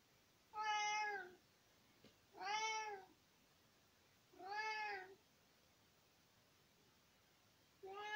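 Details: A talkative tomcat meowing at his owner, recorded in spring 2020. Four loud, clear, evenly spaced meows, each about a second long and arching in pitch, repeated roughly every two seconds against a quiet background.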